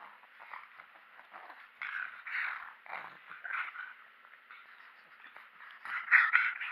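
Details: Mechan, a pug being made angry, gives rough, breathy growling snarls in uneven bursts that swell louder toward the end, with brief quiet gaps between outbursts.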